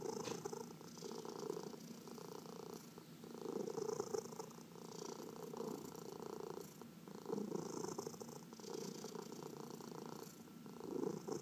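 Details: Senior domestic cat purring while being massaged, one of four cats indoors; a steady rumbling purr swelling and fading in breaths roughly every two seconds, with soft rubbing and handling noise.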